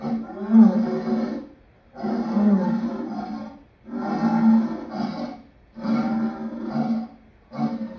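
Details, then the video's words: Lion calling in repeated rough, throaty bursts roughly every second to two seconds, each a grating roar-like moan, the series running steadily through the clip. "Lion sounds part 2"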